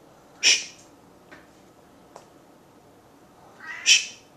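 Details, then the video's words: Domestic cat named Bailey, relaxed indoors while being shushed each time he meows; two short high, bright meows about three and a half seconds apart, with a couple of faint clicks between them. "Shush A Cat"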